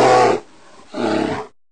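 A grizzly bear gives two deep, rough growls with a brief pause between them.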